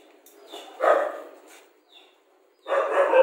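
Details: Rajapalayam dog giving two short bursts of barking, the first faint and the second louder, followed by a steady, slightly hoarse bark or whine that holds near the end; quiet gaps in between.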